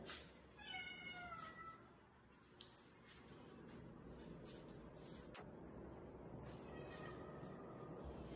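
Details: Rescued kitten crying, from a group including one that fell into a pitch-dark sewer and others that cried for hours in bushes; a few high, wavering meows early on, then fainter cries over a steady noisy background.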